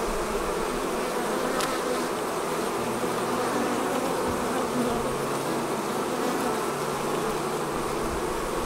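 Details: Honey bees swarming out of their hive: a constant, crowded buzzing drone from many insects at once, steady in pitch and loudness, with a faint hiss overhead.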